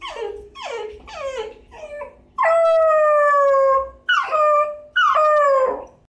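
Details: Miniature Dachshund puppy, six months old, crying to go out at night: a run of quick falling yelps, then a long sustained whine and two shorter sliding whimpers.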